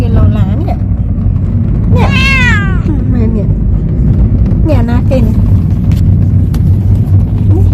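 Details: Talkative pet cat out sightseeing on its first trip gives one drawn-out, wavering meow midway, between human voices, over the constant low rumble of a moving vehicle.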